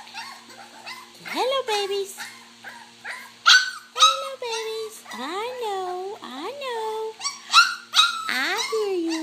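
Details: Several puppies eating mash whine and squeal, with rising-then-falling tonal cries that come in irregular overlapping bursts, some sharper and higher, over a low constant hum.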